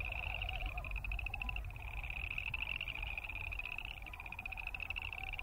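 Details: Boreal chorus frogs croak together, a dense run of rapid pulsed trills, some rising, layered without a break, with a fainter lower trill beneath and steady low background noise.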